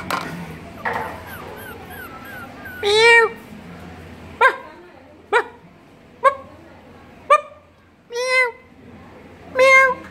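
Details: One-month-old creamy toy Pomeranian puppy giving high, tonal whining yelps, some arched and drawn out, others short, about eight calls spaced roughly a second apart over ten seconds, with a steady low hum underneath.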